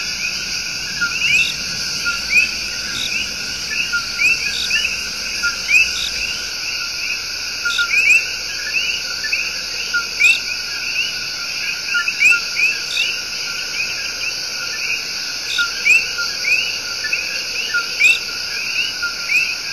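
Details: Chorus of coqui, the tiny but loud tree frog, singing its love song in Puerto Rico's El Yunque Rainforest. Many short upward-sweeping two-note chirps overlap and repeat steadily over a constant shrill insect drone.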